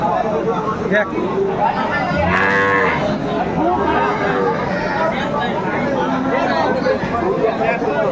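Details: At Aftabganj haat in Dinajpur, 25 August 2024, where cows are sold with their calves, a single drawn-out moo sounds midway through, set against steady crowd noise and people talking as they bargain.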